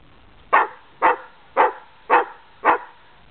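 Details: Playing greyhound, among ten dogs gathered when family visit, giving five clipped barks evenly spaced about half a second apart against a quiet background.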